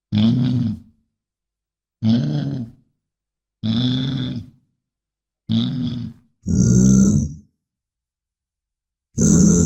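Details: Six deep bison grunts spread over about ten seconds. The first four are evenly rumbling and low. The last two are louder and harsher, with a hissing, snort-like upper layer. Quiet pauses separate the calls.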